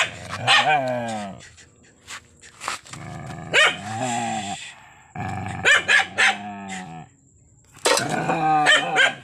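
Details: Furious dog mixing long harmonic growling snarls with sudden loud barks, in uneven bursts with brief pauses between them.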